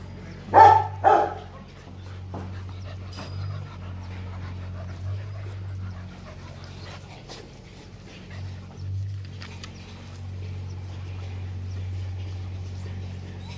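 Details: Rottweiler puppies aged four months at play at Gervi kennel in Vietnam, offspring of imported male TEDI and female Dakota: two sharp barks in quick succession open the recording, then quiet rustling and a low electrical hum.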